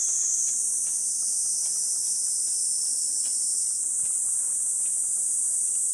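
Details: Summer cicada chorus at Gifu Prefectural Hyakunen Park, Japan. The morning of 23 July was hot at 37°C, with dappled sunlight on the path. A continuous piercing high buzz hangs over faint clicks from the walk.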